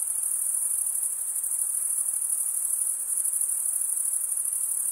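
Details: Stridulating crickets, males drawing one wing across the comb-like teeth of the other. They make an unbroken, shrill, pulsing trill high in pitch, dense and even throughout, over soft background hiss.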